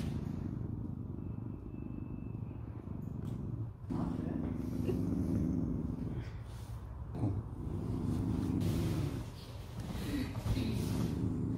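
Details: A neutered male Japanese Spitz, born around 2015, growls in a low, steady rumble while people talk nearby; owners are unsure whether he likes or dislikes being handled.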